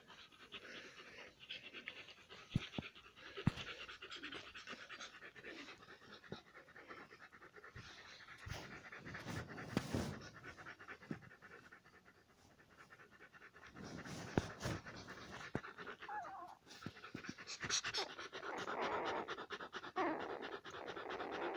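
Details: Five-day-old Alaskan Malamute puppies make rapid, rustling panting and snuffling breaths through most of the recording, then brief, thin, high-pitched squeaks and whimpers near the end over a soft background hiss.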